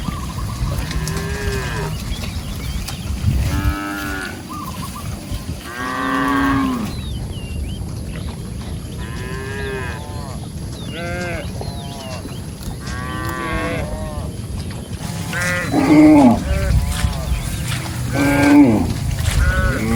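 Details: Group of cattle roaming and grazing in a rice field; repeated overlapping moos, drawn-out harmonic lowing calls rising and falling, several within twenty seconds, some deeper, some higher and shorter, over steady low outdoor rumble.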